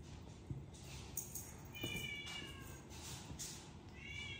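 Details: Rescued male cat, now lazy, no longer playing and only eating and sleeping, gives two thin, high meows about two seconds apart over a steady low hum with faint clicks.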